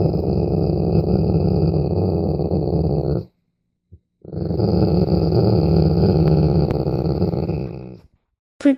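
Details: Pet dog grumbling, often out of pleasure such as when its head is stroked: two long, low, rumbling growl-like sounds of three to four seconds, with a brief pause between.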